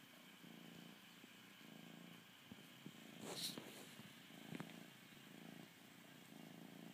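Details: Bengal kitten purring while nursing on a blanket, a low rumble pulsing in rhythmic bursts with each breath, with a few soft clicks and rustles in between.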